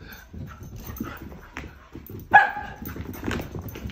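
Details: Shiba Inu playing wildly with an older dog indoors: low grumbling play noises, then one sharp loud bark-like yelp about halfway through, followed by softer grumbles and scuffling.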